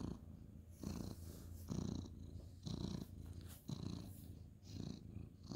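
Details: Ginger tabby cat, male, purring while petted at bedtime, 2/11/2023: continuous low rumble rising on each breath about once a second, with soft breathy hiss and light rustling.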